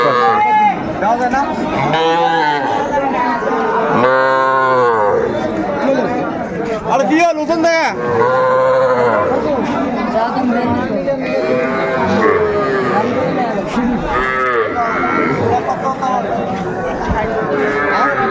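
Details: At Ambari market on 18 May 2024, young Sahiwal bull calves about three months old are offered for sale. Repeated calf moos come every few seconds, some rising and wavering, over busy crowd talk and bargaining voices.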